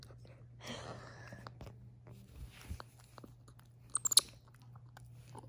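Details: Chewing and crunching indoors, with faint speech, a steady low hum and a few sharp clicks.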